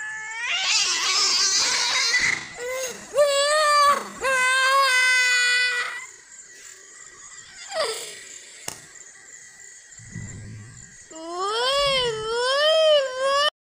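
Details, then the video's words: White cat and brown cat crying like children: a harsh screeching wail opens, followed by wavering, undulating yowls rising and falling in pitch, brief pauses with soft shuffling, then a final warbling caterwaul. "White Cat and brown Cat crying"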